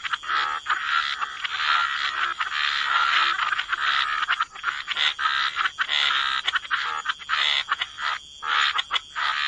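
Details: Chorus of croaking frogs at a wetland edge, dense overlapping rasping calls at first, then breaking into separate pulsed croaks with brief pauses, constant faint high-pitched ringing behind.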